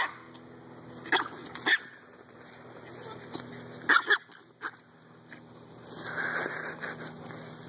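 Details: Three dogs, a Dalmatian, an American bulldog and a Chihuahua, playing in a backyard: paired quick barks in two bursts, then a softer muffled sound, with a person's voice and a steady background hum.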